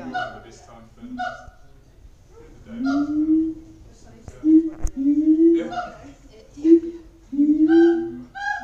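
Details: Siamangs at Auckland Zoo: scattered short hoots and several longer, upward-sliding honking calls with pauses between them, plus a faint sharp click.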